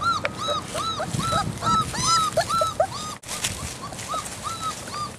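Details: Young Great Dane puppies crying on their second outing into leaves and straw in winter, mother Boe watching; rapid series of short, rising-falling whimpers several times a second, with a brief break partway, soft rustling beneath.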